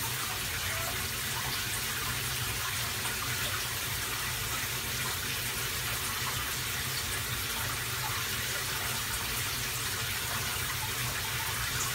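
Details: Continuous hiss of running tap water filling a basin indoors, steady throughout with no animal voice.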